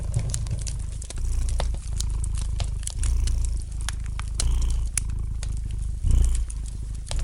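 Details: Domestic cat purring gently beside a fireplace: a steady low rumble that swells and eases with each breath, about every one to two seconds, under frequent sharp crackles and pops from the burning fire.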